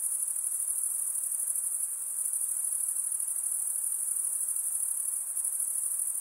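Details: Night insects in a steady, dense chorus: a continuous high shrill trill with a fine pulsing texture, unbroken throughout, over a faint soft background hiss.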